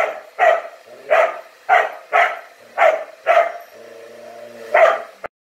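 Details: Dog barking at a disliked blowdryer indoors: seven loud, punchy barks spaced roughly half a second to a second apart, with a steady mechanical drone of the dryer between them and an abrupt stop at the end.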